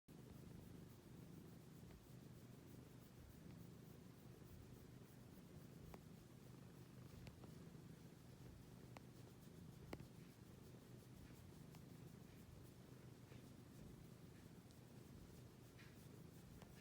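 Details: Cat purring: a soft, low, steady rumbling purr that runs without a break throughout, very quiet, with a few faint clicks and rustles.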